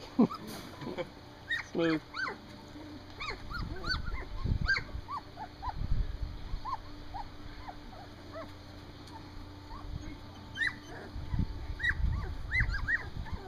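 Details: Three-week-old Standard Poodle puppies on their first time outside, giving thin high whimpers and short squeaky yips in irregular bursts throughout, while a woman talks softly to them nearby.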